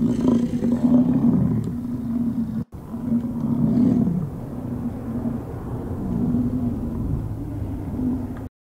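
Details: An American bison bull roars during the rut near the Lamar River bridge in Yellowstone National Park: deep, rumbling bellows lasting a few seconds each, barely a pause between, with a low throaty growl underneath.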